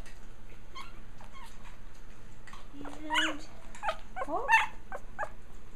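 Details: Japanese Chin puppies of one litter, growling and playing, with sparse soft whines early, then a flat held whine and a cluster of sharp rising yips in the second half, over low steady hum.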